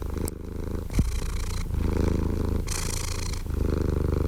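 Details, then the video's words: Continuous low, rumbling cat purr with a steady throbbing texture. It alternates with brighter, breathy hissing phases as the cat breathes in and out, and there is a faint click near the start. "Purring Cat White Noise"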